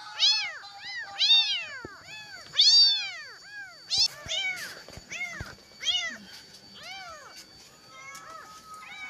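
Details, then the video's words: Kitten, apparently a street cat, crying all night in search of its mother and trembling; high, piercing arched meows repeated about once a second, some rising and falling sharply, with faint background noise. "Anak kucing Ini Menangis Semalaman Mencari Induknya sampai Gemetaran"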